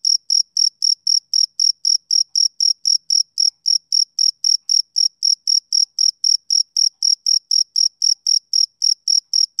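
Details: On a summer evening, a male cricket keeps up a regular beat of short, piercing chirps, roughly four each second, unbroken from start to finish against silence.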